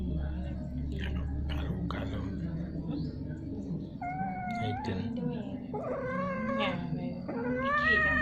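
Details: Domestic cats mating repeatedly: after some scuffling and clicks, a series of long, strained, quavering yowls with strong harmonics, growing louder toward the end, against a low background rumble.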